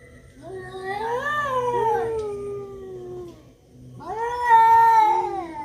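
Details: Fighting cats yowling: long, drawn-out wailing howls that rise and waver, then slide down, one sustained cry followed by a short pause and a second louder rising howl, with a steady low hum underneath.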